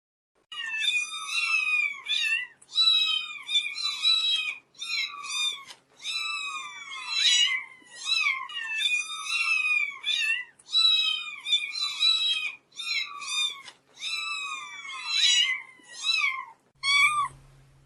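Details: Kittens meowing almost nonstop, a rapid overlapping chorus of short high falling mews, continuous for about sixteen seconds before a brief pause.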